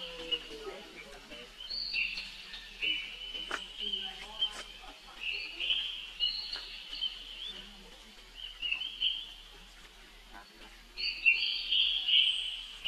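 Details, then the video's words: An infant monkey calls for help as its older sister Rainbow runs away. Its shrill, tonal screeching swells and fades in uneven waves, and soft background noise sits low in the mix. "Rainbow Run Very Fast While Her Young Bro Call Helping it"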